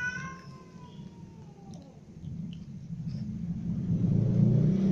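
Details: Several cats, a ginger cat, little kittens, a baby kitten and their mother, at dinner together; a long falling meow opens, then fades under a low rumbling hum that swells toward the end.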